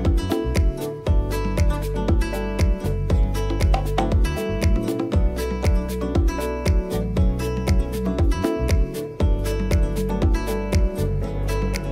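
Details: Upbeat acoustic guitar music with rhythmic strumming and a firm bass beat, and no animal sounds.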